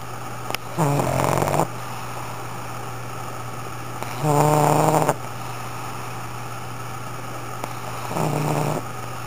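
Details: Loud snoring from Sakura the pug, three long rattling snores roughly every three to four seconds, each a low buzzy rumble with fluttering overtones, a constant low hum beneath.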